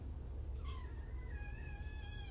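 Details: Kitten from a group of five, two litters surrendered in Tacoma and taken in by Purrfect Pals, giving one drawn-out, slightly rising meow that trails off, over a constant low electrical hum indoors.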